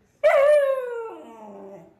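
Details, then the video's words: Pet dog giving one short howl that starts abruptly and slides steadily downward in pitch before trailing off, lasting under two seconds. "Funny Dogs Howling"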